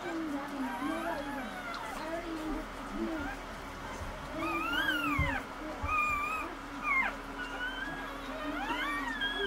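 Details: Newborn Cocker Spaniel puppies during their mother's first whelping, one of five pups born, squeal in thin, high, rising-and-falling squeaks repeated over and over, above a steady low hum with faint human voices.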